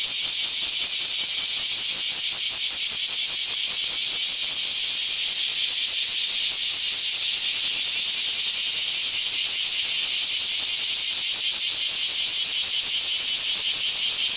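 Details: Bear cicadas in mass emergence in a park in Akashi, Japan, July 2023: a dense, loud, continuous buzzing chorus high in pitch, pulsing rhythmically about two or three times per second without pause.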